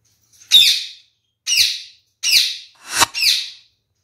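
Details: Kakariki parakeet from a captive pair, the male noted for drinking a lot of water, repeats harsh, rasping chattering squawks four times in about four seconds, each short burst fading off, in a quiet indoor setting.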